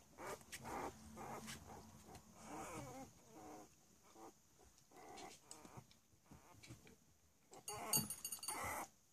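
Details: Three-week-old Cavalier King Charles Spaniel puppies at play: soft, short squeaks and little grunting whimpers in scattered bursts, quiet overall, with rustling and a louder scuffle near the end.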